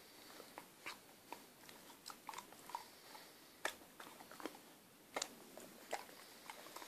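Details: Six-month-old female Akita puppy indoors, struggling to chew a sticky chocolate eclair toffee: irregular wet clicks and smacking bites scattered through a quiet small room, several sharper crunching snaps standing out.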